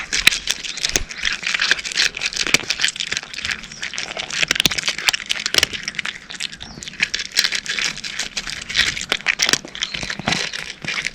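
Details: Cat eating dry kibble up close, a steady run of crisp, dry crunches and clicky bites packed densely together, bright and crackly throughout with brief louder snaps.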